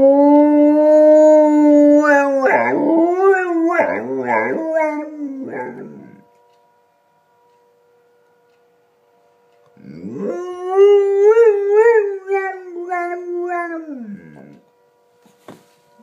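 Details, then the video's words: Watson, a pet dog, howls in reaction to emergency sirens tested on the first Wednesday of the month: a long steady tone, then wavering yodel-like notes, a pause of several seconds, and a second sustained wavering howl. "Sirens make Watson howl"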